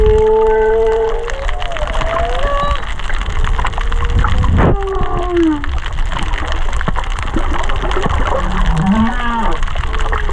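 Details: Underwater humpback whale song at Kaanapali Bay, singers less than 500 metres off: long steady tonal wails and sliding cries at mid pitch, a sharp broadband click near the middle, a low rising upsweep late, continuous reef crackle of fish eating coral.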